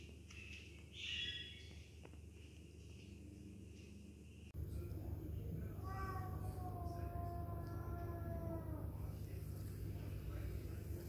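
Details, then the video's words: Sibling domestic cats fighting in an aggressive encounter: after a faint noisy opening, a long, drawn-out, wavering yowl with rich harmonics rises and falls for several seconds, over a steady low hum. "aggression between cats | siblings cats fight each other"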